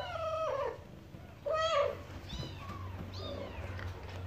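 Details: Mother cat talking to her kittens: a few short, rising-and-falling meows and chirps, the strongest near the start and middle, with softer trills later over a low steady hum.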